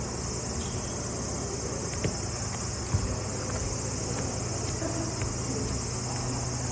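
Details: Cicadas in a loud, steady, high-pitched buzzing drone that runs unbroken through the whole clip, with a few faint clicks and a low background rumble.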